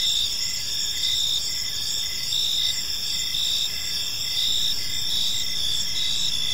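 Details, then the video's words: Evening in a quiet park, many crickets chirp together in a constant shrill chorus, with stacked high trilling bands and faint rhythmic pulses, beneath which sits a soft low hum of distant noise. "Park Serenade: Cricket Sounds in a Peaceful Park | Evening Ambience"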